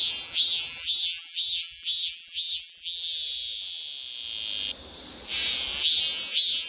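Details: Korean cicada singing its "maem maem" song, a series of high buzzy, pulsing notes repeated about twice a second, then a steady shrill drone with the pulsed phrases returning.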